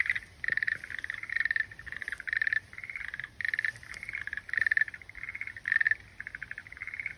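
A frog gives rapid pulsed trills, short bursts repeating almost continuously.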